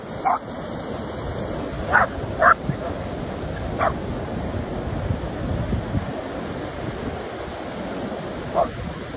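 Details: German Shepherd barking while playing; a few short, sharp barks spaced irregularly over several seconds against steady loud background rumble like wind or surf.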